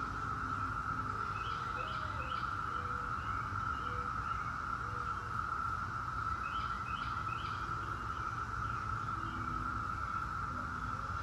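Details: Brood X periodical cicadas hold a relentless single-pitched drone, a 17-year cicada chorus, while clusters of bird chirps come in short bursts and lower whistled notes drift in and out.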